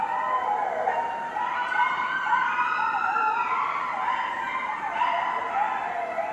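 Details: Several coyotes howl loudly at night in a residential neighbourhood, their wavering voices rising and falling over one another in a continuous chorus.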